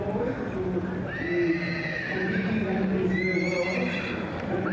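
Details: Welsh Cobs, a class of barren mares or geldings aged eight and over. Two high, drawn-out whinny sweeps rise and level off, the first longer, the second a short bright one. Low voices, hoof clatter and a steady background murmur run throughout.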